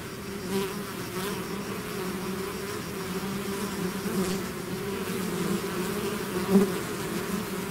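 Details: A swarm of bees out of its hive, continuous deep humming of many wings with a short close fly-by buzz near the end, no other noises.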